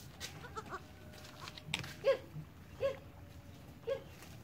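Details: Goat kids Jalu and Jali, born 1 January 2019 at maghrib (dusk), learning to walk. Three short, high, nasal bleats come roughly a second apart in the second half, with faint shuffling and low background noise.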